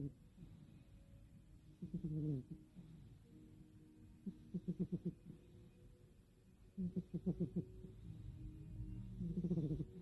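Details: Mini, a female cat, snoring loudly in her sleep indoors: short bursts of low, fluttering rattles come in clusters about every two and a half seconds, with faint quiet breathing between them.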